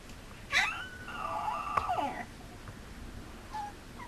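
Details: Mame Shiba Inu puppy, a male, whining indoors in a small room: one long wavering whine held steady for over a second, then falling away, with a short faint whimper near the end.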